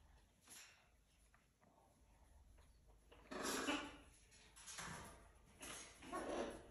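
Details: A pet raccoon living in a house with other exotic animals, walking around at bedtime, gives three short, harsh, breathy churring bursts, each about half a second long, over the last few seconds, after quiet rustling and faint room noise.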